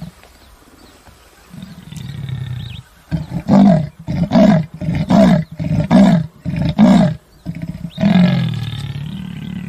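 Leopard giving its deep, rasping roar: a quick series of harsh grunts like a saw cutting wood.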